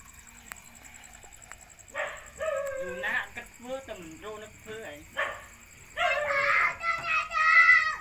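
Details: Puppies being fed give a quick run of short, wavering whimpers, followed by longer, louder whining cries near the end, with an indoor background.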